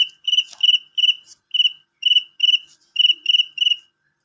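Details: Loud, piercing chirps from a male cricket. Each is a rapid triple pulse, repeated about three times a second in steady bursts, with a light tap or rustle near the start.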